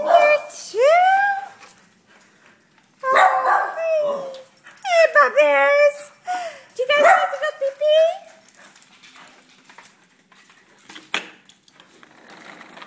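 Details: Dogs whining and yipping in greeting as someone comes home, in summer in Houston, Texas: a household including a dachshund, a very old beagle and a mixed-breed dog. Rising, drawn-out whimpers and bursts of high yips alternate, with human voices between them.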